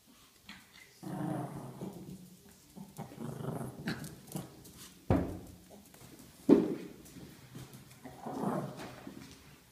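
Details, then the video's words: A Chihuahua growls in low, rumbling bursts while playing with a ball, with a few sharp knocks between them. "Chihuahua spielt mit dem Ball und knurrt dazu"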